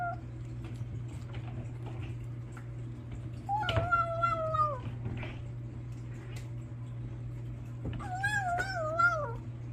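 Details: A Bengal kitten makes a funny noise while eating: two long, quavering meows, each sliding downward with a wobbling tone, over a steady low hum with faint clicks and rustles between the calls.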